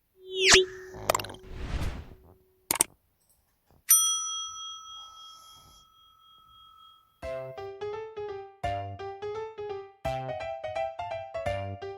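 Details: Cartoonish sound effects, a long sustained electronic tone, then plucked melodic music notes, with no snoring or other animal sound heard.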